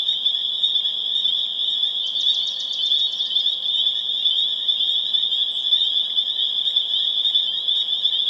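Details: Spring peepers in full chorus, Harvard, Massachusetts, late April 2011; a piercing continuous high-pitched ringing of overlapping peeps, briefly joined around the second second by a quick stuttering trill of rapid pulses.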